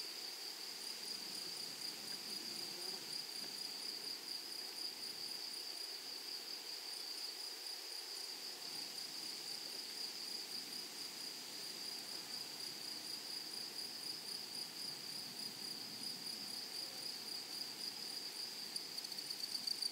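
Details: Long unbroken stretch of shrill, tonal insect song from grasshoppers in a flowery meadow, with a fainter rapid pulsing higher up and a quiet natural background.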